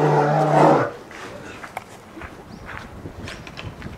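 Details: Two-year-old female polar bear Lila at Maruyama Zoo, Sapporo, 15 March 2017, demands loudly to keep nursing after her mother Lara stops. A harsh, low, droning call ends abruptly within a second, followed by quiet clicks and faint background sounds.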